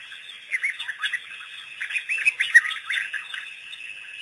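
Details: African wild dogs, a pack freed by researchers on April 5, 2008, on their first visit to the Pete's Pond waterhole, give rapid high twittering chirps in uneven bursts, several overlapping, with a sharp click midway.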